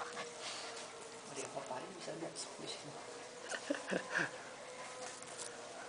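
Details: Golden Retriever puppy, 6 weeks 5 days old, at von L'autumn Kennel, giving a few short, high yelping whimpers clustered near the end, mixed with people talking nearby and a steady indoor background hiss.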